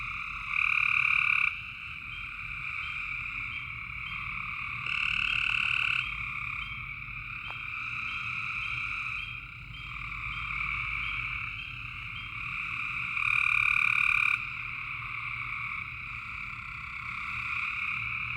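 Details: A dense chorus of frogs at night in Tennessee gives a steady, high trilling drone, with louder calls swelling up now and then.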